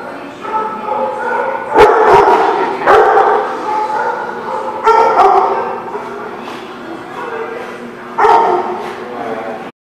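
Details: Dog barking amid a busy, noisy background of voices and other animal sounds; sharp single barks stand out at irregular intervals, around four loud ones, over a continuous crowded din.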